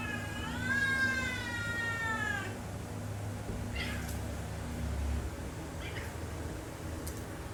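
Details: Cat in a quarrel giving one long, strained meow of about two seconds that slowly falls in pitch and wavers, rich in overtones, followed by a few soft, short sounds over steady low background hum.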